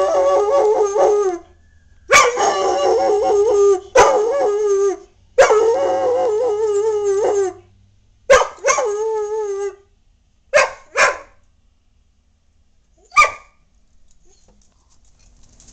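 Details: Samson the dog, who loves to howl at sirens, howls at passing fire trucks at night: several long quavering howls with sharp onsets, tapering into short yelping bursts and then quiet.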